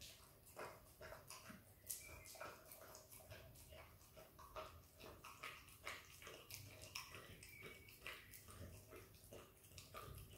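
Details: Australian kelpie x border collie puppy, a young female, eagerly licking peanut butter close to the microphone; sticky, clicking mouth noises come in uneven bursts, with a few louder smacks standing out.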